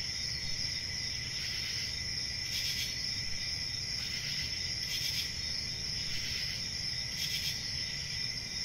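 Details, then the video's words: Crickets trilling continuously at high pitch, with short louder pulses of chirping recurring roughly every one to two seconds above a faint low rumble. "Cricket Sounds"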